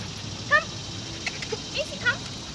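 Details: Maci, a 7-month-old female German Shepherd puppy in Raleigh Durham dog training, gives two brief, thin, high whines about one and a half seconds apart, with faint handler voices and room hiss between them.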